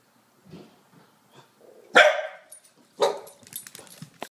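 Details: A two-year-old English Springer Spaniel guarding the house gives two sharp, loud barks about a second apart, the first broad and harsh, followed by softer scuffling and short noises indoors.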